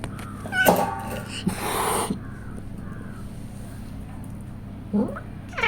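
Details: Pregnant pet cat resting indoors while preparing for her kittens, meowing as milk is offered: a bending, harmonic meow near the start, a noisy burst mid-clip, then two short rising meows near the end, with a woman speaking Tamil between calls.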